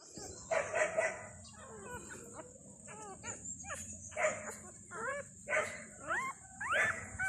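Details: Newborn Thai dog puppies, two days old, one of a litter of five with their mother, crying as if hungry for milk: thin squeaky whines with upward and arched slides, bunched in short bursts, over a steady high hiss.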